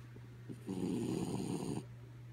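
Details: A single drawn-out, raspy snore of just over a second from the sleeping dog Kaya Boo, preceded by soft breathing and set against a steady low hum.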